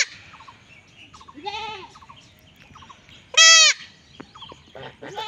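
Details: Young goat in a Bangladeshi village during castration: mostly faint, scattered bleats with one short, loud, strained cry near the middle, over low background noise.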